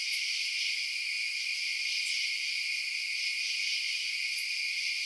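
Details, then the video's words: Crickets chirping at night as a continuous shrill high-pitched chorus, with three sharp faint clicks scattered through the otherwise unbroken insect drone. "Night Sounds Crickets Chirping"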